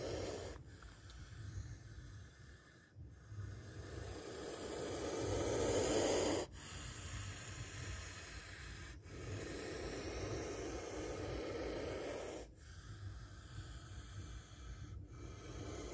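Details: A spectacled cobra hisses repeatedly during a close encounter. Several long breathy exhalations are separated by brief sharp pauses, and the loudest swells to a peak in the middle of the sequence.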